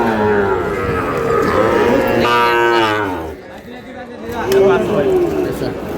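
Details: Sahiwal bull calves at a cattle market where Dhaka farmers are buying, 27 April: a loud, drawn-out harmonic moo rises and then falls midway, with lower lowing and steady crowd chatter around it.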